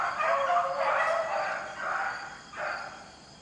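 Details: Beagles on a rabbit hunt in the rain give blurred, overlapping baying cries that merge into one continuous wavering chorus, with a steady hiss of rain underneath.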